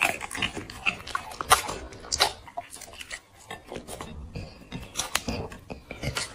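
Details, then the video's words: Black pet dog eating chicken and vegetables from a plate, recorded close up: sharp irregular crunches and clicks of biting and chewing, with brief quiet gaps between bites. "dog food eating asmr"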